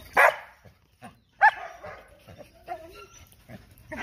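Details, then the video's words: Dog giving two loud, sharp barks about a second apart, then quieter scattered sounds and a faint tonal note. "PERROS ladrando FUERTE"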